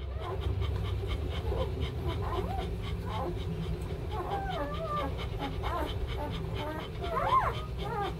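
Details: German Shepherd puppies from a kennel litter of three males and two females; many overlapping high whining squeals that bend up and down, over a steady low rumble with some human speech.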